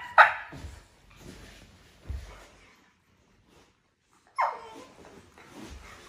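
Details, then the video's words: Cane Corso puppies during a morning sparring session: two sharp, high barking yelps about four seconds apart, each followed by scuffling thumps and rustling from the play-fighting pups. "Cane corso puppies morning sparring routine"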